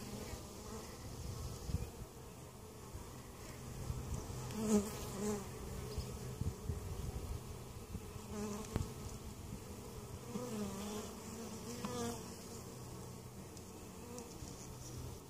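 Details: Honey bees hum steadily at a weak hive in Mt. Perry, Ohio that survived winter and is being treated for varroa mites; a continuous low drone with a few louder passing buzzes and light handling clicks.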